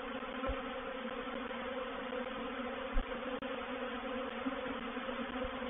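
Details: Honey bees of a reproductive swarm entering a swarm trap, recorded 04/07/21. A thick, continuous buzzing hum of countless bees holds a constant low pitch, broken only by a couple of faint soft knocks.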